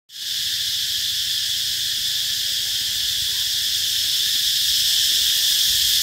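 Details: A cicada recorded on the road leading to B Binh Hoa school on 2 March 2023 at 11:44 gives a loud, steady, high-pitched buzz that hardly wavers from start to finish.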